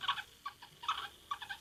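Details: A pet guinea pig gives quick bursts of high, harmonic squeaks. The owner is unsure of the meaning and suggests it may signal fear, tiredness or hunger.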